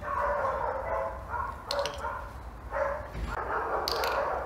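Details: German Shepherd named Saber, excited after two weeks apart from his owner, giving a string of short, irregular barks and whining yelps with tonal, wavering notes, repeated rapidly over a steady background hiss.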